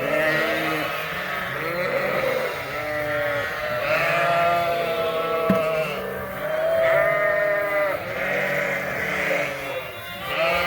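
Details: Suffolk lambs mixed into one big group in a barn at Ewetopia Farms after a gate was left open, bleating in overlapping wavering cries from many animals, with faint music underneath.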